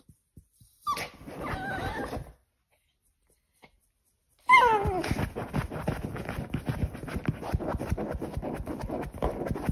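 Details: Pomeranian tearing at a sofa indoors. Two bursts of high, sliding whimpering yips with clear pitch, then steady scratching and rustling of fabric fill the rest.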